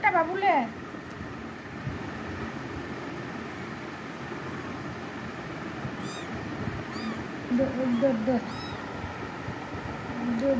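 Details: Kitten being given medicine: a sharp falling meow at the start, then a few faint, thin mews over room noise and background clatter.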